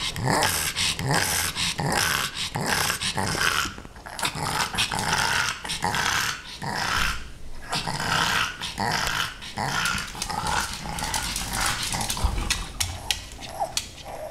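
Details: Female pug Rudy keeps up a long run of playful growls aimed at Ms. Creamy the kitten, raspy pulses arriving a little faster than once a second and unevenly spaced, recorded in a small room.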